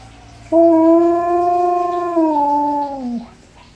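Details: Alaskan malamute singing with an ambulance, one long clear howl of about three seconds held level then sagging downward at the end, in a small room.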